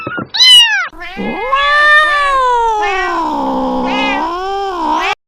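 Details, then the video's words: A cat said to sound like it is laughing opens with two short, sharp cries. It then draws out one long, wavering yowl that dips and rises in pitch for about four seconds. "the sound of a cat laughing"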